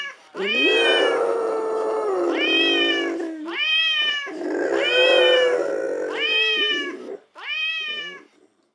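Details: A female American Staffordshire Terrier howls for the first time, prompted by a phone dog-teaser app, giving a string of drawn-out, wavering howls with a rising start and falling end.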